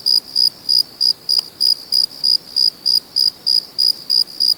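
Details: Crickets at night, part of a natural chorus: clear high-pitched chirps, each a short pure pulse, repeated steadily about three times a second over a quiet background.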